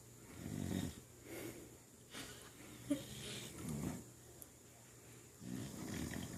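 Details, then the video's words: Female dog snoring while awake, apparently lying on her back: soft, low rasping snorts in repeated bursts about every second or two, with a woman talking softly to her in between. "dog snoring"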